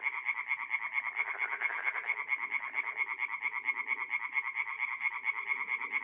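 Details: Night chorus of tree frogs at a forest pond in north-east Italy, mid-April: many frogs give fast, evenly spaced rasping croaks, roughly two each second, forming a continuous pulsing wall of sound.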